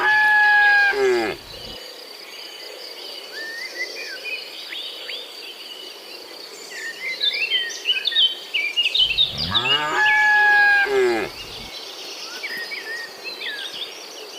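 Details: Herd of tame cattle, dozens strong, driven by a herder from the barn up a mountain road to pasture: a moo ends the opening second, then a second long moo near ten seconds, with chirping birds and insect drone between.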